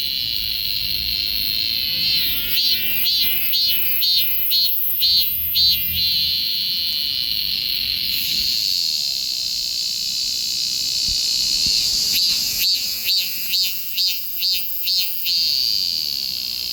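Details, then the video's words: Cicada song recorded on a Galaxy S24 Ultra phone: a continuous shrill, high buzzing drone with two runs of rhythmic pulsing, about two pulses per second, near the start and again toward the end. "매미 울음"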